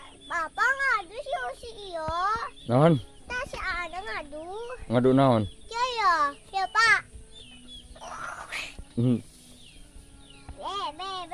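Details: Sheep bleating together with its young: a run of loud, wavering, vibrato-laden bleats, some deep and some higher and thinner, coming in quick bursts with short gaps over a steady background hum.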